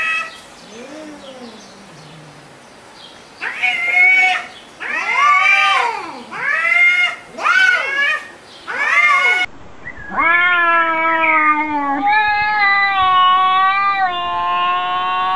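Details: Cats arguing: soft low mews, then a fast run of loud arched meows, followed by a long steady drawn-out yowl with rich harmonics in a quieter setting.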